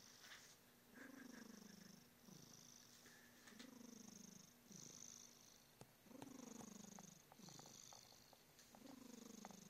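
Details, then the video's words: Snoring, purring cat named Smokey, its low rumble swelling and easing with each breath, a falling snore note on every cycle and breathy hiss above, a few faint clicks in a quiet room. "Smokey the cat is snoring and purring"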